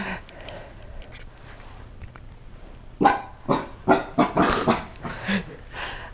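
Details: A seven-month-old Chihuahua and Cocker Spaniel mix named Rocky, scared of a new toy, stays mostly quiet for three seconds before bursting into a cluster of loud, rough, noisy barks in quick succession.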